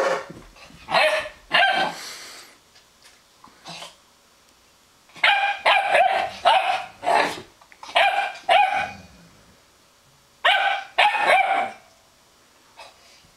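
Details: A young Weimaraner puppy harassing an older Weimaraner over the better bed gives bursts of sharp, high-pitched barks and yips in quick clusters, with short pauses between.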